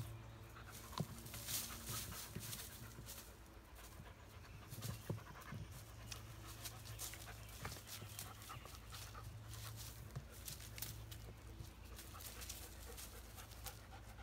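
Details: One-year-old female white German Shepherd, adopted from a rescue, playing in the yard on a homemade spring pole with a ball attached; rapid breathy panting comes in short bursts over a steady low background hum.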